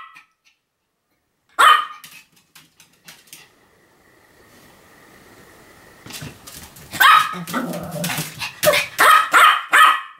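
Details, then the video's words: Pomeranian named Sam in a continuous barking session dated 7 October 2015. One sharp bark is followed by quiet and a steady faint hum, then a rising run of rapid, high yapping barks at the end. "犬の鳴き声 ポメラニアン サムの連続吠え"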